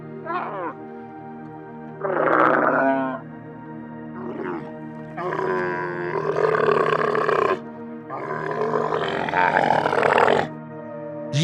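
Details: Camel, a desert herbivore, utters short rough grunts and then two long, harsh, gurgling roars of two to three seconds each, separated by brief pauses, with music in the background.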